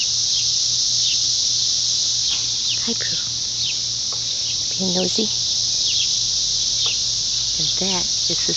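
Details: Hundreds of 17-year periodical cicadas high in backyard trees give a steady, high, hissing chorus that drones on without a break while a person speaks nearby.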